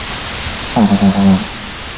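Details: Single snore from a sleeping puppy: a short, rattling, low droning breath with a pulsing, throaty texture, set against a steady background hiss.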